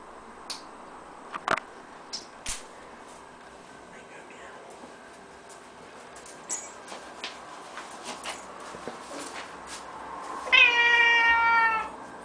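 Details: A female Birman cat on top of the kitchen cupboards, 11 July 2010, gives one long, high, slightly wavering meow after soft knocks and clicks, as her owners return home and talk to her.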